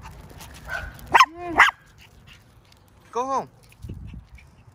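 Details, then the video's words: High-pitched yapping from a Maltese x Chihuahua mix facing off against a mastiff: two quick shrill barks, a pause, then a third, over a quiet background with faint low noise. "⚠️ warning: high pitch barking. Chihuahua Vs Mastiff"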